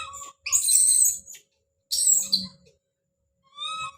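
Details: Baby monkey named Don calling out: two harsh, noisy, high-pitched screams about a second apart, then a short thin tonal cry near the end, with quiet gaps between.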